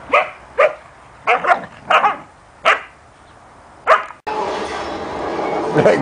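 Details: Standard poodle named Juki with her puppies Rufous and Brutus; six short, sharp barks spaced about half a second to a second apart, followed by loud broadband noise and a muffled voice.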